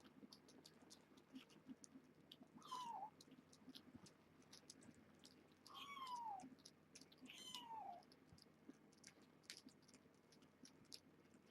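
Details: Young kittens of Nala Se, a stray cat's litter born June 21 at Purrfect Pals, meowing during a weigh-in as weaning starts; three thin, falling mews spaced a few seconds apart over faint clicks and rustling indoors.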